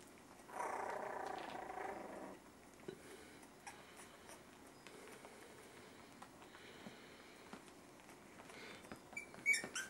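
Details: Miniature Schnauzer puppies, 3.5 weeks old, give a loud, rough rasping growl-whine lasting over a second, then quieter scattered whimpers and snuffles, and a few brief high squeaks near the end.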